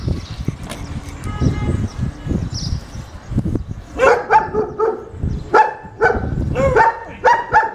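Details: An unmanageable German Shepherd in a second training session. After several seconds of low background rumble and faint voices, a run of sharp, resonant barks begins, coming in quick pairs and triplets.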